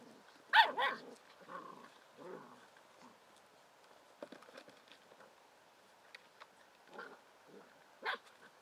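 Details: Bicolour poodles barking on a dog show podium: a couple of loud, sharp barks at the start, then scattered softer yaps and short barks from the group.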